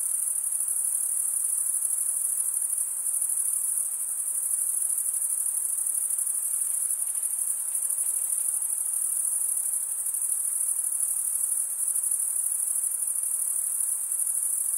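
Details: Chorus of male crickets stridulating, wing scraped over a comb-like toothed vein, forming an unbroken shrill ringing trill at a very high pitch, even and constant, with faint low background hiss beneath.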